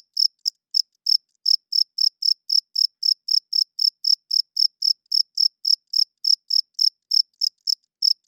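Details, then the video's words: Male cricket calling at night to attract females and establish territory, loud, high, clicky chirps about three per second, with a couple of short hesitations early and late, against total quiet. "Cricket Chirping Sounds - Cricket klinkt 's nachts luid"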